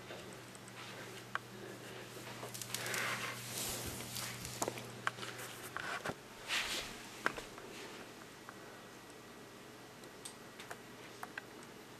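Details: Quiet indoor room with faint rustling, soft handling clicks and a low steady hum; no animal voice is heard.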